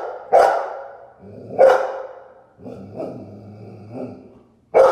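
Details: A Golden Retriever barks at its own reflection, giving sharp, loud barks spaced a second or more apart, with low rumbling between.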